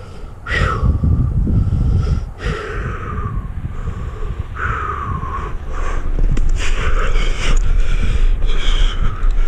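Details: Bossy, a cat stuck about 70 feet up a tree in Georgia for six days, gives three drawn-out meows that slide downward, spaced about two seconds apart, then fainter calls. Heavy breathing, rustling and low rumbling from the climb sit underneath.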